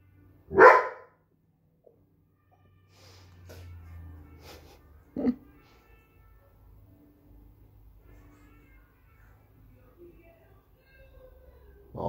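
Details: An 8-month-old Briard puppy, a natural guard-dog breed, lets out single punchy barks spaced several seconds apart, the first the loudest. A faint low hum and soft background tones fill the quiet gaps.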